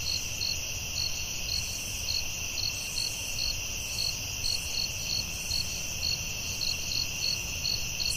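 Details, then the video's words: Crickets at night in the forest: dense, high, buzzing trill running continuously, with bright chirp pulses repeating rapidly across it above a quiet low hum. "Soothing Cricket🦗 Sounds at Night"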